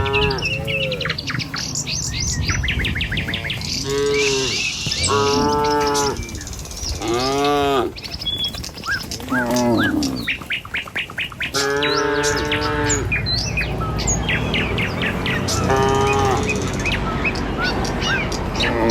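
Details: Tame cattle walking in a herd along a village road toward their pen in the morning, lowing repeatedly: long harmonic moos of about a second each, several overlapping, with chirping birds throughout and hoof sounds underneath.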